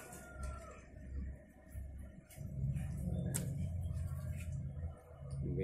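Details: Indoors, people talk in low voices over faint background music, with no animal sound.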